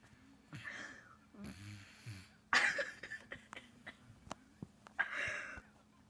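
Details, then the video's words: Male dog snoring in his sleep: raspy, wheezing breaths in broad hissing bursts, a loud snorting intake near the middle, then shorter clicking rasps and a final drawn-out wheezy exhalation. "Snoring Dog"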